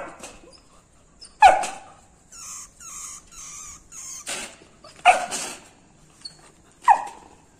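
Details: Labrador Retriever puppy reacting to a rat, giving single sharp yelping barks spaced a second or two apart, with soft whimpering and whining sounds between them.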